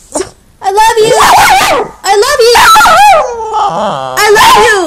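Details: A Maltese Shih Tzu makes wavering, speech-like howls and whines in short rising and falling bursts, as if trying to say "I love you."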